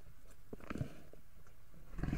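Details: Two grizzly bears growling as they meet over a kill in Yellowstone National Park: low, rough, rumbling growls in uneven bursts, swelling louder toward the end, over a steady background hiss.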